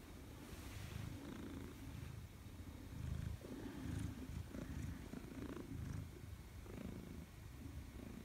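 A Maine Coon cat purrs deeply and steadily, a low rumbling greeting to its returning owner.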